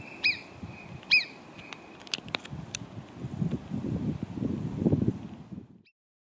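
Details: Marmots near Cogne, below Arpisson, in mountain terrain: two sharp, high whistled calls, each a short downward-bending note, about a second apart, followed by several seconds of low wind rumble and scattered clicks.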